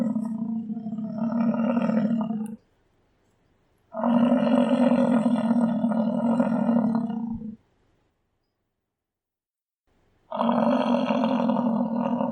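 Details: American bison, also called American buffalo: three long, drawn-out bellows, each lasting about two to three and a half seconds, steady and tonal with rich harmonics, separated by silent gaps.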